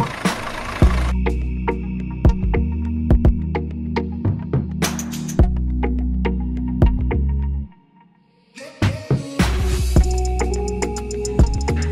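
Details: Electronic hip hop music with sharp drum hits and deep bass plays, briefly cutting to near silence before resuming; no mooing or other animal calls are heard.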